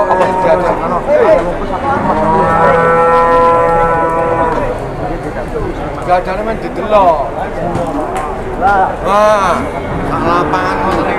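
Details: Jumbo cattle led around for sale, lowing in long harmonic moos; a sustained, steady call mid-clip, then several shorter overlapping bellows rising and falling toward the end, with other cattle and brief voices in the background.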